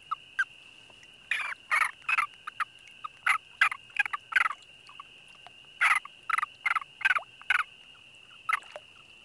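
An American toad's long, steady, high musical trill, overlaid by loud, clattering bursts.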